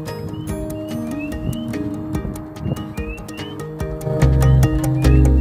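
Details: Several spring peepers, multiple frogs, give high, rising peeps over steady background music, heard in an Ohio forest in spring while leafless canopy lets sunlight reach the forest floor; a major sign of spring.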